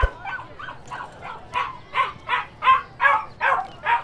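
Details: Puppies and dogs barking: soft, quick yips that grow louder into a regular series of about eleven barks, roughly three each second, over a low background rumble.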